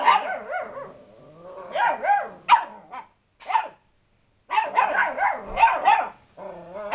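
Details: Lurcher cross puppies getting brave with the family cat, which is not bothered: high, yappy barks and growly yelps in quick bursts with short pauses, several pups overlapping.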